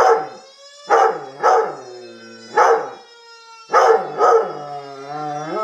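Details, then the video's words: A male Black and Tan Coonhound/Rottweiler mix howls along with a siren, giving deep baying cries in pairs, each trailing into a long tone. "Black and Tan Coonhound/ Rottweiler Mix Howling at Siren"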